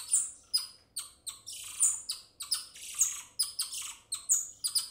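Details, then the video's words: Golden lion tamarin calling: a fast run of shrill, high chirps and thin whistled notes, many sliding sharply downward, about one burst per second with short gaps, on a clean quiet background. "Golden Lion Tamarin Monkey Calling"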